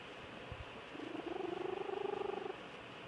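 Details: Georgia Lass, a pet cat, asleep and snoring: a single drawn-out, rough, vibrating breath of about one and a half seconds with a steady low hum and fluttering texture, otherwise near-silent surroundings.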